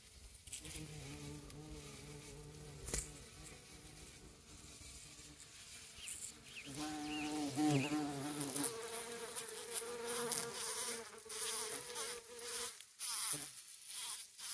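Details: A honey bee and a bumble bee on wild roses, the bumble bee pushing the honey bee off a flower, give a continuous droning buzz rising and falling in pitch, swelling louder midway, with soft rustling and patter.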